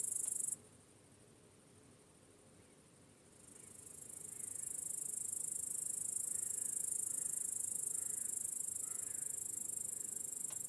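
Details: Crickets chirping in the evening in a peaceful countryside meadow at sunset; a dense, steady, high-pitched shimmering trill that briefly drops out early on, then swells back and continues evenly, with faint low rumble beneath.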